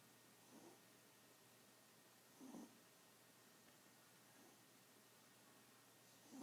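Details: A small pet Chihuahua asleep, giving soft, raspy snores roughly every two seconds, four breaths in a row, against a faint steady room hum.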